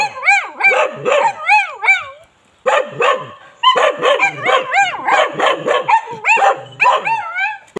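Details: Bali dog yelping and barking in fast series, the calls swooping up and down almost like short howls, with a silent gap of about half a second before barking resumes.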